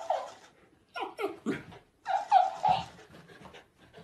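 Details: Pet dog from a funny dog and puppy compilation, giving short whimpering and whining bursts, with a longer tonal whine near the middle, soft breathy pants between, and a few faint voices in a small room.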